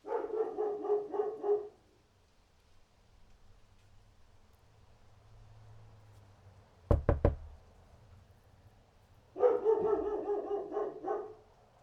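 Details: Two bursts of rapid, gruff dog barking frame a quiet stretch with a low hum and three sharp knocks in quick succession, like rapping on a door, before the barking resumes.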